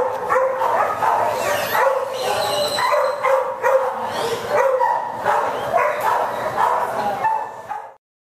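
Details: Irish Wolfhound at TLAC, recorded May 10, 2011 on a FlipShare camera, giving a steady run of loud, harmonic yelping barks and whines for about eight seconds while people coax it with calls of "hey buddy" and "come on".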